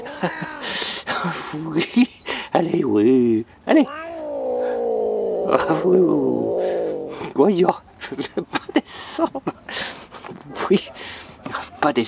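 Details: Grumpy female Siamese cat grumbling indoors, her growling described as a possible Siamese character trait; a drawn-out, wavering, moaning grumble lasting several seconds in the middle, surrounded by a woman talking in French.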